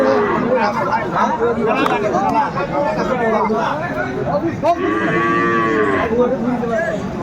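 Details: Sahiwal cattle at a crowded cattle market in Kurigram, Bangladesh, where Sahiwal bulls are bought and sold: a long, drawn-out harmonic moo rises and falls near the end, over steady crowd chatter and nearby talking.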